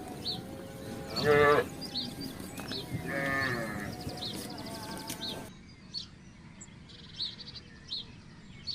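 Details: Village cattle crossing a housing estate in search of grass and water; a short loud moo followed by a longer lower one, with bird chirps and background noise continuing afterward.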